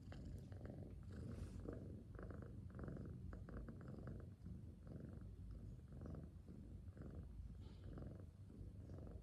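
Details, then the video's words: Cat sleeping peacefully, purring softly: a steady low rumbling purr pulsing in regular breaths about every second, with faint breathing and a quiet background. "Cute Sleeping Cat | Soft Purring & Breathing Sounds"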